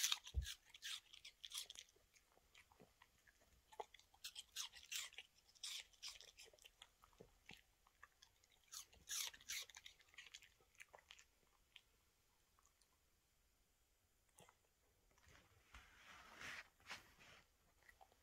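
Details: A female Toy Terrier happily eats an apple. A dense run of crisp, wet crunches comes roughly three times a second, fades into a lull, then returns briefly as softer chewing at the close. Indoors.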